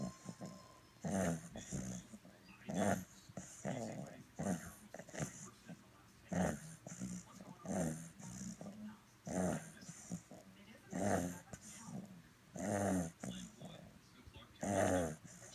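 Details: A sleeping fawn English Bulldog puppy, ten weeks old and purebred, snores steadily in a small room. Short, gravelly, wheezing snorts repeat about every second or two, alternating louder and softer breaths.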